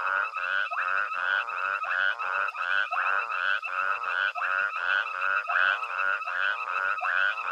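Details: Frogs calling together at night at Hwange Safari Lodge in Zimbabwe as an elephant herd feeds nearby; continuous layered rasping croaks repeat quickly with no pause, forming a thick, even wall of sound.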